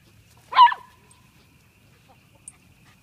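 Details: A single short dog bark or yip, with a bright burst of energy and a brief tonal tail, among dogs making friends at the Chattanooga dog park, recorded 2014-02-22; otherwise quiet with low background rumble.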